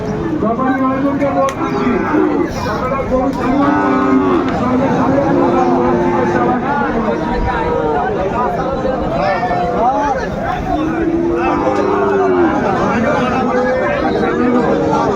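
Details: Sahiwal bull calf at a busy cattle market in Kushtia, Bangladesh, on 2 January 2025, giving several drawn-out low moos, some wavering in pitch, spread through the recording amid steady crowd chatter and men's voices.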